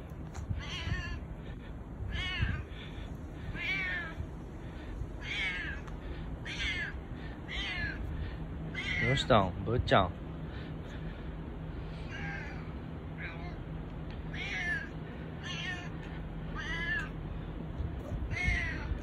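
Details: A boss domestic cat named Bū-chan, affectionate and husky-voiced with no other cats around, keeps up a long string of hoarse, quavering meows about once a second, interrupted by a louder sweeping call near the middle, with low background noise and occasional human voice.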